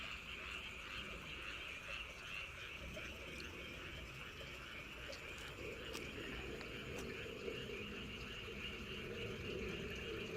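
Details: Frogs calling at night around Wolyeonggyo Bridge and Hahoe Village in Andong, South Korea: a dense, unbroken chorus of overlapping rasping croaks forming a steady drone, with faint wind and an otherwise still night.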